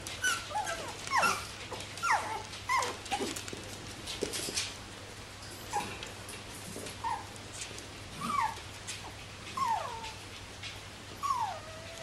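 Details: Bichon Frisé puppies of the X litter, indoors at a kennel in Vejle: high thin whines that slide downward, about a dozen over twelve seconds, some in quick pairs, over a low steady room hum.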